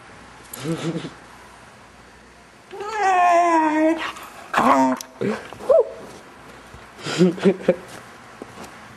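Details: A six-month-old male Vizsla puppy makes weird noises during play with its owners: short whimpers, a longer wavering harmonic whine, then several brief yelps, with people talking indoors between the calls.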